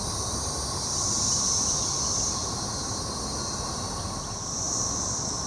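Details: Periodical cicadas (Magicicada) of Brood XXIII in Jackson, Mississippi, 2015: a steady, shrill, high droning chorus that swells around the first two seconds and again near the end, over a low rumbling background.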